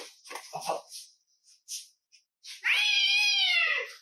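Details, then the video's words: A chatty house cat answers its owner: a few soft human words and murmurs, then one long, clear meow that holds steady before sliding downward at its close. "My Cat Won't Stop Talking"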